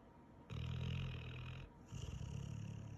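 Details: Sleeping Pit Bull snoring after a long day: one long deep rasping snore followed by a second, slightly quieter drawn-out snore.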